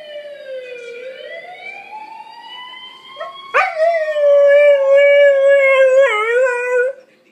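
A fainter, slowly rising wail leads into a loud, sustained howl from a Siberian Husky. The tone holds steady and wobbles near the end, the dog echoing the sound of a police siren.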